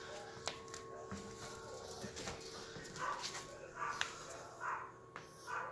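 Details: Yorkshire Terrier puppies, the two babies of Vern, a silkie coat Yorkie: a few clicks and knocks at first, then four soft high whimpers about once per second in the last three seconds, with a faint steady hum.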